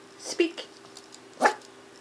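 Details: A 10-week-old female Miniature Pinscher puppy, told to "speak" during trick training, gives two short, high yapping barks between a person's spoken words.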